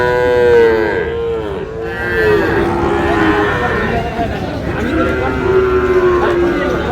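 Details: Sahiwal bull calves at a cattle market, bought by a farmer from Noakhali, Bangladesh: low, drawn-out moos that sag in pitch, one near the start and another toward the end, over busy crowd chatter and bargaining voices.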